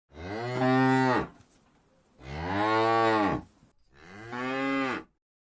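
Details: A group of cows grazing in rice paddies in the countryside after the harvest: one cow gives three long, deep moos, each drawn out for about a second, calling to its companions while looking for grass.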